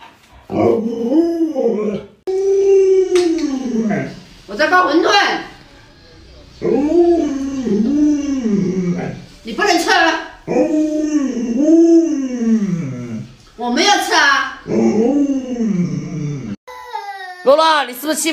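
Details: Pet Alaskan Malamute producing a run of about eight short arched howls, each rising then falling in pitch and lasting one to two seconds, separated by brief pauses, with a person's voice heard alongside.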